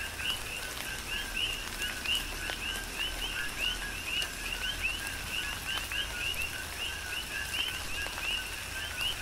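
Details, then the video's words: Coqui frogs calling in tropical rain on the Big Island of Hawaii; a dense chorus of short two-note chirps stepping up in pitch, repeating many times a second from several frogs over steady rain patter and scattered drops. "Tropical Rain & Coqui"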